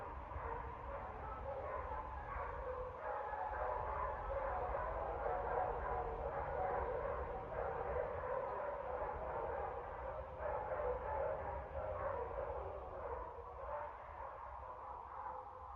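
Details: Several dogs barking on 30 September 2024. A muffled, overlapping chorus of barks repeats rapidly and fairly irregularly, about three per second, and seems distant. The sound is dull and low-toned against a steady background rumble.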